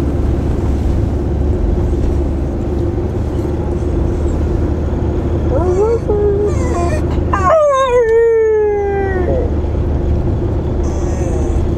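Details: Lancashire Heeler dog singing in a car during a drive, 14 February 2010; over steady low engine rumble comes a short wavering whine, then a longer clear howl sliding slowly downward over about two seconds.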